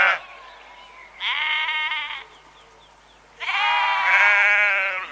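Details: Sheep bleat: a short baa trails off, then a clear vibrating bleat sounds, and after a pause a long, loud, wavering baa follows.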